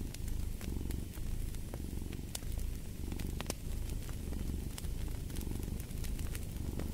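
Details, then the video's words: Domestic cat purring for sleep and relaxation: a steady low rumble in rhythmic cycles, swelling and easing roughly every second, with sharp crackles and pops of a fireplace scattered over it. "Fall asleep to the Purring of a Cat & Fireplace"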